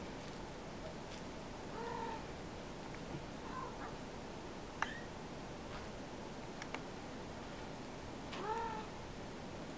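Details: Mother cat washing her many kittens indoors; a few short, thin rising meows scattered over a steady hiss, with small clicks and licking sounds.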